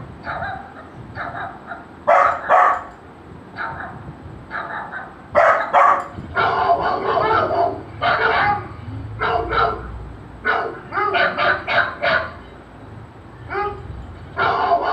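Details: A golden retriever puppy reacts to the sound of barking, with irregular bursts of sharp barks, some single and some in rapid runs of three or four, over about fifteen seconds with brief quiet gaps.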